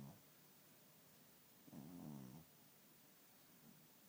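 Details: A sleeping cat named Richard gives one rough, buzzing snore lasting under a second, with only faint breathing around it in a quiet room.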